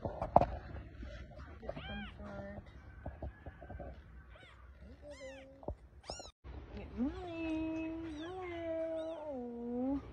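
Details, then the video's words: Small kitten, one that cries a lot, giving short repeated mews followed by a long wavering meow, with people's greetings and talk around it. "Funny Cats and Kittens Meowing Compilation"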